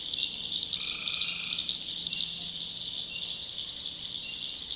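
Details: Tree frogs calling at night in a swamp in the backwoods of North Carolina: a dense, shrill, unbroken high chorus, with one lower, buzzy trill lasting about a second near the start and a fainter one after it.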